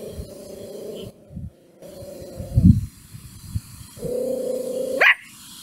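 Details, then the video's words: Mimi the puppy, angry at a stranger, gives long sustained growling tones broken by pauses, then ends with a single sharp rising yelp-like bark; low thumps in the background. "Mimi angry and barks at strainger"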